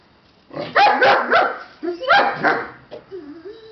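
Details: Several Siberian Husky puppies yapping in two quick clusters of high, rasping barks, followed by a short, wavering whine that rises and falls at the end.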